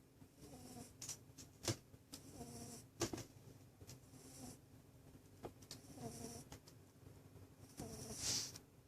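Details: Sleeping rabbit snoring indoors: soft, rasping breathy snores in short bursts roughly every one to two seconds, with scattered sharp clicks and faint rustling between breaths.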